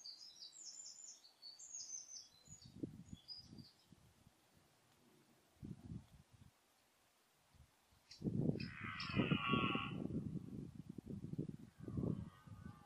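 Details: Red deer stag in the 2014 rut. After several seconds of scattered low thuds and high bird chirps, a loud, rough roar breaks out. It is followed by a rapid series of deep, throaty grunts, each given in a strong burst.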